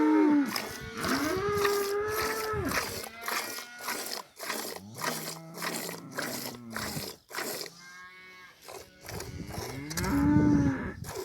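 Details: Cow in a village lowing: a long, steady, low moo opens, a shorter lower moo follows mid-way, and another drawn-out moo closes, with rapid, regular clicking or crunching pulses running throughout.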